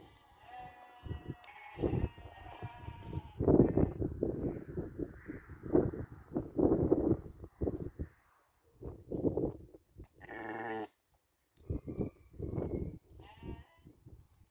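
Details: Bleating from a ewe that gave birth twice within a year, 2021; several wavering, harmonic bleats in bursts separated by short pauses, with a brief noisy rasp near the middle.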